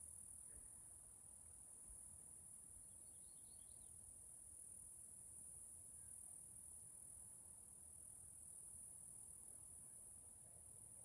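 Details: Forest cicadas in Washington State, Pacific Northwest, produce an even, continuous high whine lasting the whole recording. A short faint twittering burst occurs early on, with low wind-like noise below.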